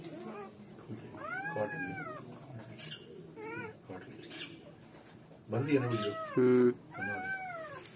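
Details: Freshly born German Shepherd puppies cry out in drawn, arching whines, each rising then sliding down, a few seconds apart, with a louder burst of squealing near the end and soft rustling underneath.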